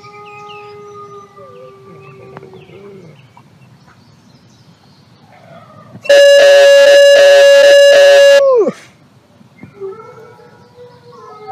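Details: Gray wolf (Canis lupus), howl.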